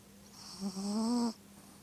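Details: Fast asleep at night, the dog Korota gives a drawn-out snore: a short nasal catch, then a longer humming breath that slowly rises before stopping abruptly. A faint constant hum fills the quiet room.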